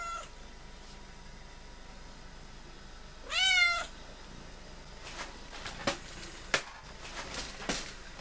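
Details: A female cat that has been visiting a house since August 2011 gives a single clear, harmonic meow that rises and then falls, followed by scattered clicks and soft handling noises in a quiet room.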